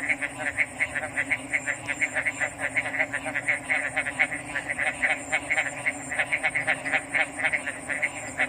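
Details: Frogs calling in a dense chorus of short pulsed croaks, about two per second and overlapping irregularly, over a constant high-pitched hiss and a low steady hum.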